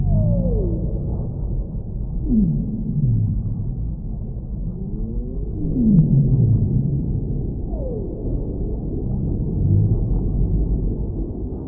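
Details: Whale singing in a series of swooping downward-gliding cries and brief rising notes spread across the recording, layered over a constant heavy low rumble of ocean background.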